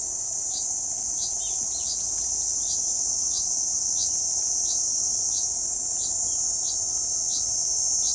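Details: Kuroiwa cicada singing on a banyan trunk in central Okinawa Island, Japan, on 11 June 2023: an unbroken, very high, shrill hissing drone, with faint short chirps repeating about three times per second behind it.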